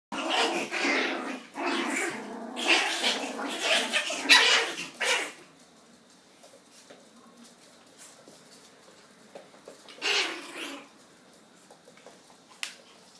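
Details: Purebred Pomeranian puppies from champion bloodlines, hand-raised from a litter, making loud broadband yaps and squeals in a dense burst over the first five seconds, then quieter with one more brief outburst.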